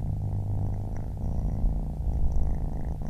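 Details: Baby kitten purring: a steady, deep, low rumble that holds an even level throughout, with faint soft clicks now and then above it.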